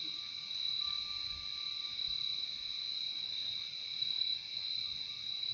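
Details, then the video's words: Even, high-pitched trilling of crickets fills the whole short stretch, two unbroken bands of insect sound with only a faint thin tone early on and quiet low background noise. "Relaxing sound of crickets"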